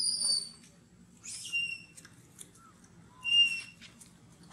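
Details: Hungry baby monkey Gino cries and shakes, begging milk after mother Big Bertha refuses him: high thin squealing cries with bright overtones in three main bursts about a second apart, short softer whines between, faint low hum beneath.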